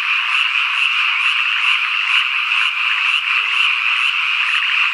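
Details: Cicadas droning continuously at evening in the Japanese countryside of Ikusaka village, Nagano; a bright high chirp pulses about twice each second above the buzz, with faint frog croaking mixed in.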